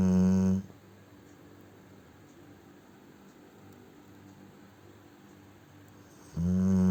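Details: Sleeping Cane Corso Ponchik snoring: a loud low rasping snore fades out, about six seconds of quiet room breathing follow, then another deep harmonic snore starts.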